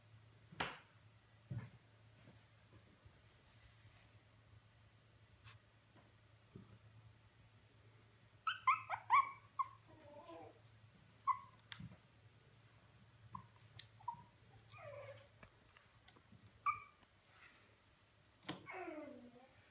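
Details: A five-week-old female Havanese puppy makes quiet, scattered whimpers and squeaky yips, short falling whines grouped in the middle and end, over a steady low hum and occasional faint taps.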